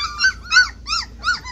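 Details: Standard poodle puppies, 26 days old, anxious during their first days in the garden, born 13 May 2016 and filmed 7 June 2016: high, arched whimpering cries, four bursts about every third of a second, over low hum.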